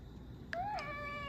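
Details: Pet cat being trained indoors to give its paw: one short meow that rises and then falls slightly, after a quiet start, with a faint steady electronic whine in the background.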